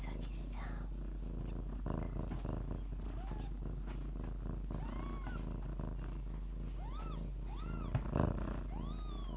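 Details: Lykoi cat mother purring with her litter of kittens indoors: a steady low rumble continues throughout, while kittens give short arched mews, several in the second half, with a brief knock near the end.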